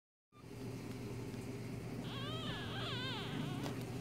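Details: One-day-old newborn kit fox kits give thin, wavering squeaks and whines over a steady mechanical hum.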